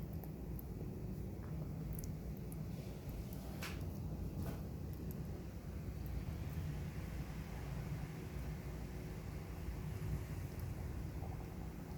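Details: Steady low rumble like passing traffic fills the recording, with a few faint scattered clicks and no animal voice.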